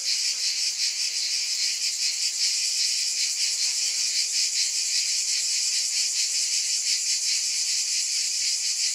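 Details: Unbroken, hissing cicada drone held at an even loudness, gently pulsing in a quick regular beat throughout.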